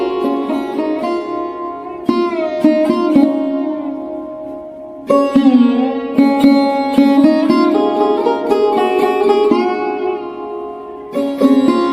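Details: Plucked sitar music plays throughout with rapid repeated notes and sustained strings; no animal sound is heard.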